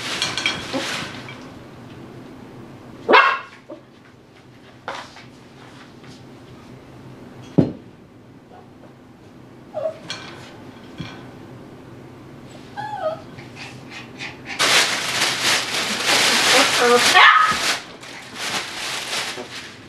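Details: Dhali, a Tibetan Terrier puppy aged eight weeks, at play inside his x-pen with a tunnel and a cut garbage-bag sheet overhead. Scattered single barks and brief whimpers, then a long stretch of loud rustling.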